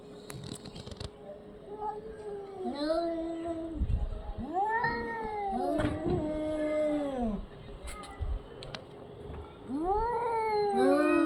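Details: Orange and white domestic cat calling with long, bending meows and yowls, several overlapping in places, pitch arching up and falling, over a faint steady tone and occasional knocks.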